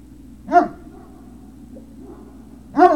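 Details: Great Dane puppy at Puppy Hill, 03-06-2019, late afternoon: a sharp, sudden yelp, a quiet stretch of faint whimpering, then a second loud yelp near the end.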